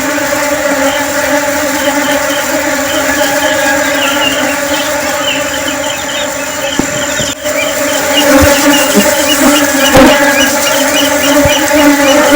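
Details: Flying honeybees: a loud, steady droning hum with layered harmonic tones, wavering slightly in pitch as bees pass, with a few soft thumps and clicks in the second half.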